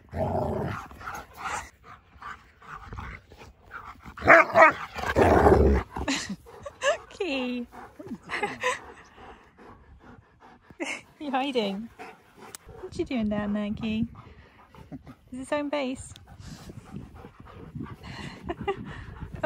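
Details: Siberian Husky greeting a visiting best friend indoors: scattered whining, short howl-like yelps and grumbles, some falling in pitch, interleaved with human talk and handling noise.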